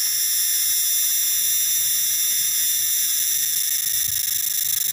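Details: Tonggeret or garengpung cicada giving a loud, long-lasting shrill scream, a continuous high, ringing drone that holds one even pitch throughout with a faint rapid pulsing and no other sounds.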